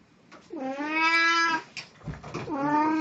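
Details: Domestic cat Puran, wearing a Snow White cosplay outfit on 1 April 2017, lets out a long, steady, plaintive meow of about a second, then begins a second rising meow after a brief rustle indoors.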